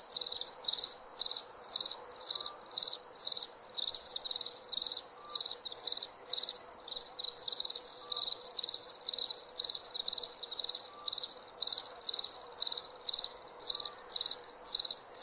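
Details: Cricket chirps at night, a long steady series of shrill pulsed bursts at almost two per second, regular and unbroken, over a soft faint background hum.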